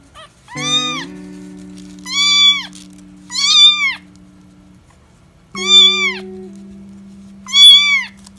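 High, thin kitten meows, each rising then falling, repeated about every one to two seconds.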